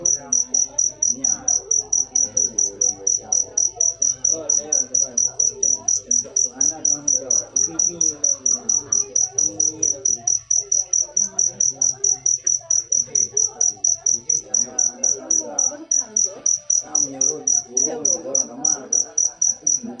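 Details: Loud cricket chirping in an even, rapid series of shrill pulses, roughly two each second, over a soft background of distant talking.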